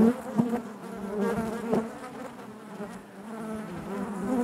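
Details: Low, continuous droning hum of many honey bees within a hive, rich in stacked overtones, wavering in loudness with a few short brighter flickers as individual bees pass close.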